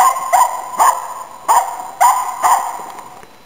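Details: Nella, a Finnish Spitz, hunting waterfowl and game birds in Inari, Finland, during autumn 2010: five loud, ringing barks spaced roughly half a second apart, each trailing off in an outdoor echo.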